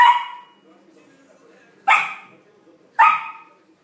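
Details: Playful Samoyed puppy with its first big ball lets out three sharp barks, one at the start and two about a second apart later, separated by a soft low murmur.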